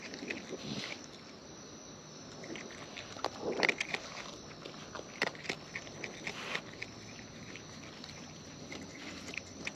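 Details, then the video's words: Close-up of wild raccoons eating: soft, scattered chewing clicks and crunches, a little louder around the middle, against faint outdoor noise. "Wild Raccoons & ASMR Chewing Sounds"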